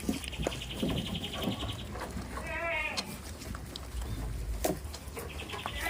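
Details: One short, tremulous bleat from a goat on a village farm comes near the middle, set against steady thin chirping, soft knocks and low background hum.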